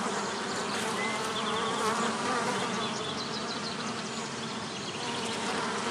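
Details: Bees around a bee hotel give a dense, droning buzz that rises and falls slightly in loudness, accompanied by scattered faint high chirps.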